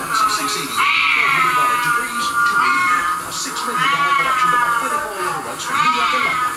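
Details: Siamese cat meows playing from a screen at home while two pet Siamese, Ollie and Charlie, react; three stretched, bending meows that climb and sag, with a person's voice alongside.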